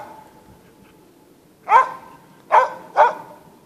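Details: Norwegian Elkhound bay-barking while hunting in the forest near Sorsele: after a quiet stretch, three sharp, loud barks, the last two closer together, over faint forest background.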